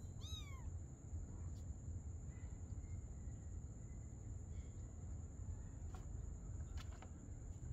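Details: Mother cat and her kitten playing together at night; one high, harmonic-rich meow that slides downward, lasting under a second, near the start, followed by low rumbling background hum, a steady high electronic whine and a few faint clicks.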